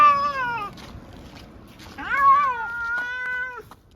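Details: Munchkin cat meowing while being taken to an animal hospital for a blood test: two drawn-out harmonic meows, the first falling in pitch, the second rising then sliding down and held, with quiet pause between.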